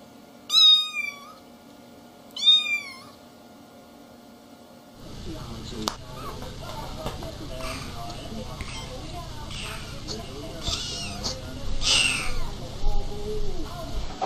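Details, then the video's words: Kitten giving two short high meows that sweep upward and then drop, about two seconds apart. Soft rustling and low background noise take over for the rest. "Küçük Yavru Meowing Ve Konuşurken"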